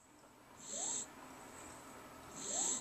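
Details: Jack Russell Terrier snoring while awake with eyes open: two short, hissy, wheezing breaths about two seconds apart, each with a faint rising squeak.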